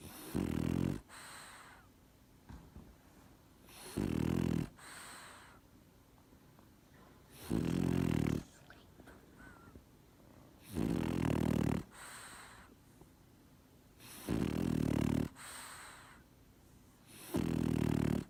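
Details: French Bulldog snoring: loud, rough, low rumbling snores, each about a second long, repeating roughly every three to four seconds, with a soft wheezy hiss between them.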